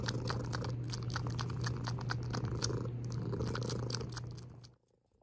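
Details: House cat's low rumbling purr running steadily for about four seconds, overlaid with rapid crisp clicking and smacking sounds, then fading quickly into near silence.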